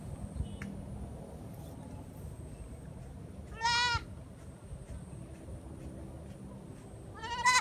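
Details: Kid goat carried along for grass cutting, sounding keen to eat: two short, shaky bleats about four seconds apart over a quiet rural background with a steady high electronic whine.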